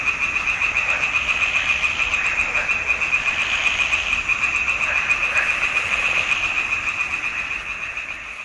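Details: Pond frogs in a swamp in June 2021 form a thick chorus of fast, pulsing croaks on a steady high note, rising and falling slightly in loudness, fading a little at the end.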